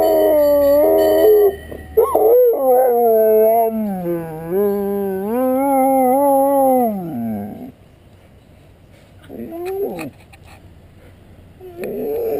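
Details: Pet Dalmatian howling in frustration when the ice cream truck fails to stop; long, wavering, tonal howls sliding up and down over several seconds, then fading to quieter short whines near the end.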